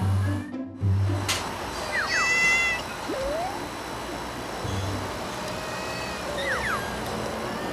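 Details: A mother cat raising her kittens on a steep cafe roof calls them with short, chirpy, rising mews as she returns to the nest, letting them know she is back and it is safe to come out.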